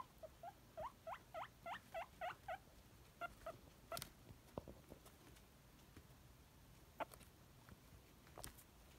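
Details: Pet guinea pig Nimbus, a male, wheeking in hope of a celery treat: a quick run of short rising squeals, about eight in under three seconds, then soft clicks and crunchy chewing sounds.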